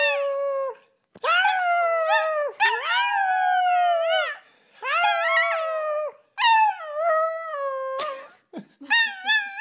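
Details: Puppies howling in a cute compilation: long sustained tonal howls with rich harmonics, each held one to two seconds, some rising then sagging at the end, separated by short gaps and clicks.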